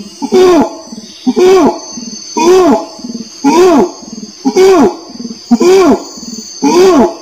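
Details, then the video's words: Orangutan voice in a steady series of bold, bent-pitch moans, about seven in quick succession at near-regular intervals, separated by brief low grumbles, with a constant thin hiss in the background. "SUARA ORANG UTAN"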